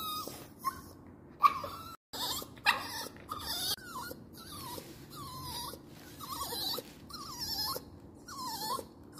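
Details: A crying dog gives repeated high whines, roughly one every second, each a short wavering note that dips and rises, with brief gaps and soft breathing between them.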